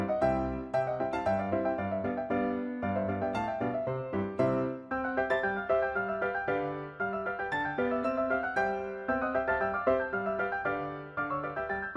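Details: Light, bouncy piano background music plays continuously, and no animal sound is heard.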